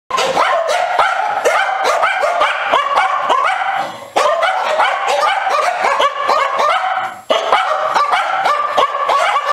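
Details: Icelandic Sheepdog barking at squirrels: a rapid, continuous run of sharp, high barks with only two brief pauses, one around four seconds and one around seven seconds.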